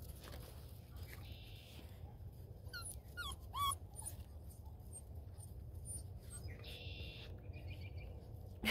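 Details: Beagle puppies, including Juno and her brother Jack, playing together early in the morning before 7:30; a quick cluster of high, squeaky whimpering yelps near the middle, over a steady low rumble and soft background hum.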